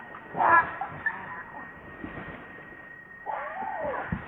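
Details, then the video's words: Baby monkey RainBoww crying to its mother for milk. A sharp, bright squealing cry comes at about half a second, then a longer descending, wavering whimper after a quiet pause, with a constant thin background tone. "Baby Monkey RainBoww Asking Milk Mom"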